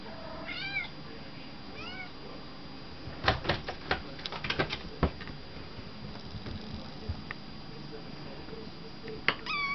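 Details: Kitten Kat, a young pet cat, jumping in and out of a cardboard crematory box indoors. Two short, high arched meows open the clip, followed by a burst of loud hollow thumps and knocks against the box, then a brief meow near the end.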